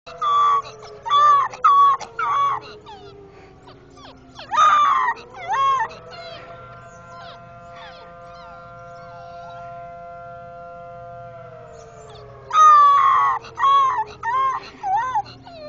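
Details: A cocker spaniel howls at a fire house bell, in wavering, rising-and-falling bursts over the bell's long, steady ringing tone.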